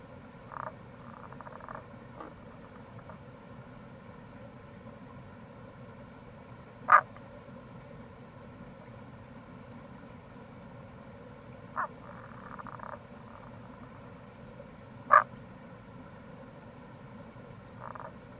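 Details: Tago's brown frog (Rana tagoi) calling in April near a gorge on the Kamo River, Itoshima, Fukuoka, Japan: two loud short clucking notes about eight seconds apart, several fainter brief notes between, over a steady low rushing background.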